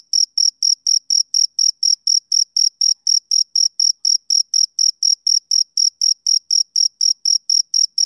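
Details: Male cricket on a summer evening, chirping steadily at about four high, pure, evenly spaced pulses per second with a faint higher overtone; no other sounds in the background.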